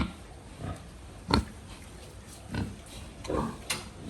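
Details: Pigs on a farm giving short low grunts, four bursts spaced about a second apart, with a louder snort near the start and farmyard background noise.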